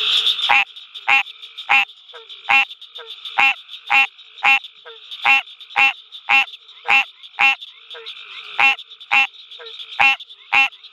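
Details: At night at the University of Mississippi Field Station, an American green tree frog gives a steady series of short, nasal, bell-like quonks about twice a second, roughly seventeen in all, with a faint high chorus behind.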